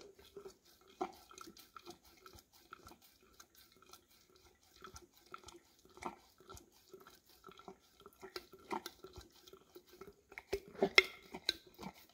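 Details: English cream Golden Retriever working its tongue into a nearly empty peanut butter jar, recorded on a Samsung Galaxy S10e. Sparse, moist clicks and slurps come in short clusters, growing busier and louder toward the end over a quiet background.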